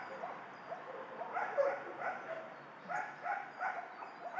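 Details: Dogs at a dog shelter barking in a reverberant space, a string of mid-pitched barks from several animals overlapping through the second half, with a constant background hum.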